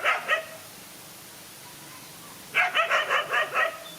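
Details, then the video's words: Dogs fighting, one lone dog against two male dogs: two quick high-pitched barks, a pause, then a rapid run of about six sharp barks. "No fear to fight a lone again two male dogs"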